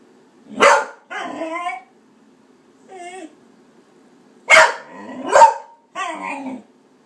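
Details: Cardigan Welsh Corgi barking in protest at a soda maker's sound: sharp barks alternating with drawn-out, wavering howl-like whines in bursts over seven seconds, quiet between.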